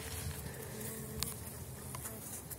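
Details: Elgon bee colony of a Swedish line, strong after overwintering, hive opened in early spring around 5 degrees for the 2019 season; faint steady low hum of massed bees under soft rustling and scattered clicks from handling.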